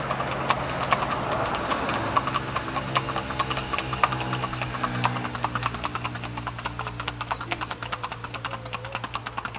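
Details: Paso Fino colombiano, Cortezano de La Virina FC and Tintoreta de Casanare from Casanare: fast, closely spaced hoof clicks, about two and a half per second, building over a droning musical hum.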